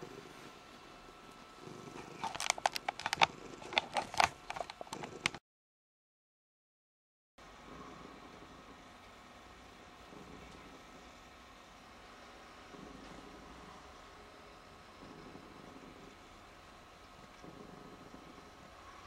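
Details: Domestic cat purring while being "hypnotised"; soft, low purring with slow rhythmic swells about every two to three seconds, after an opening of louder rustling and clicking and a short silent gap.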